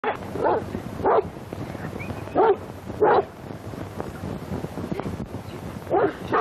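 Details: Young St. Bernard dogs in training at the hospice on the Great St. Bernard Pass, Switzerland, 25 June 1929, on an early Movietone sound camera: six loud, short barks at uneven intervals over steady film hiss and low hum.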